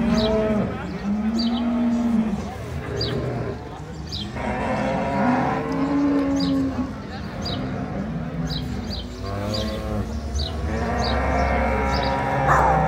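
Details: Brown Swiss cattle at the Appenzell show celebrating 100 years, 2022; repeated deep moos, some rising and falling, others sustained, with bright bell-like clanks and crowd murmur throughout.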